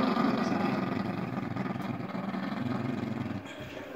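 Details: Jack Russell Terriers being funny, with a steady, low rumbling growl that pulses rapidly and runs almost unbroken for about three and a half seconds before fading. A faint voice sits underneath.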